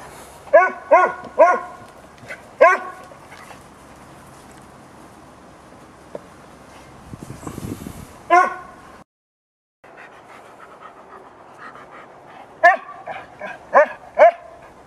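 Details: Four-month-old female Bouvier des Flandres puppy playing with two canine friends in a garden: sharp, high yipping barks in quick bursts of two or three, pausing between groups, with brief rustling in the background.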